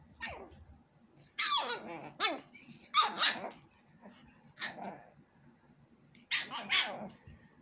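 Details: Playing puppies, a Pug and a Jack Russell x Maltese cross, trade a rapid run of sharp, high yips and barks in clusters, some with a rough growling texture, over about seven seconds.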